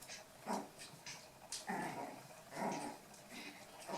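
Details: Eight-week-old toy poodle puppies playing indoors, giving short, soft growls and yips in bursts about a second apart, with light scuffling noises between them.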